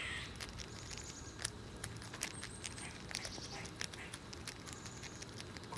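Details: A group of squirrels munching nuts in cold winter conditions and shoving each other. Dense irregular crunching and clicking chewing noises run throughout, overlaid by a few drawn-out high whistle-like tones and low background hum.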